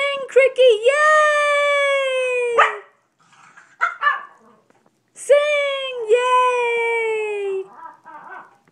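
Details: Female Brussels Griffon howling along with her owner: long, steady, tonal howls held for about two seconds each and slowly falling in pitch, with a short yelp between them and the owner's voice in the background.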